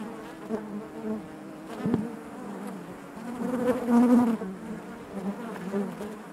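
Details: Inside a honey bee hive, a thick, even buzzing drone fills the air; a sharp click near two seconds, then the hum swells strongly around four seconds as bees move nearby.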